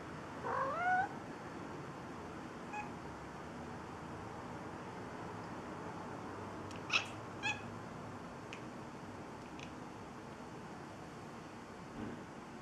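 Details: Cats communicating with each other through strange sounds: one short rising, harmonic-rich meow near the start, followed by scattered faint clicks and chirps over a steady low background hiss.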